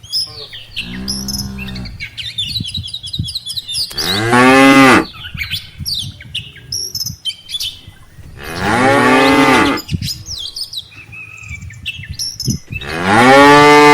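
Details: Cattle herd with mother cows and calves heading home to the farm barn after grazing in a rice field; four sustained moos about every four seconds, some deep, some louder and brassy, with chirping birds between them.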